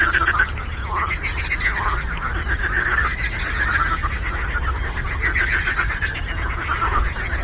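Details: Frogs croaking on a lake: a dense, continuous chorus of pulsed, rattling calls in a mid-pitched band with no gaps, over a steady low rumble.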